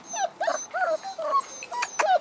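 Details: Six-week-old French bulldog and wolf cross pups giving a quick run of high, bending whimpers and yips, several short calls overlapping in just over two seconds.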